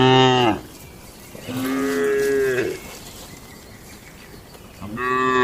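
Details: Tame cattle in a farm barn during their daily routine: three loud, harmonic moos, the first at the start, a longer one around two seconds, and another beginning near five seconds, separated by quiet barn background.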